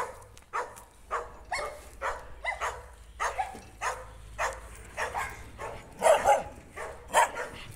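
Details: Jack Russell Terrier clashing with a stray dog met while walking down the street: rapid irregular barks and yaps, some doubled, growing louder and harsher near the end, over a faint low hum.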